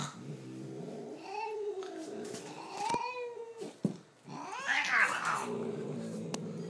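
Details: Indoor cat caterwauling: a series of drawn-out, wavering yowls rising and falling in pitch, ending in a loud, harsh, strained wail, with small clicks in the room.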